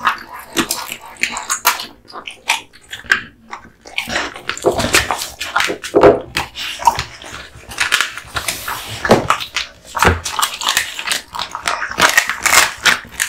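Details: Kotetsu, a male American Bully born August 2016, working on duck spine jerky; sparse clicks early, then dense crunching and wet chomping building through the middle and continuing to the end.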